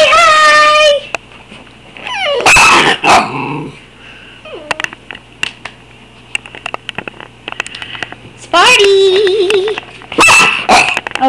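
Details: Two Schnauzers give drawn-out, wavering whines and sharp yips, 'talking' to greet their absent owner while she is away.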